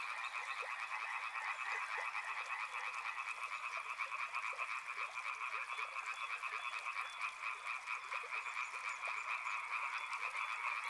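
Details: Continuous chorus of frogs by a river, many callers trilling at once in a steady band, with scattered lower clicks and croaks standing out irregularly beneath.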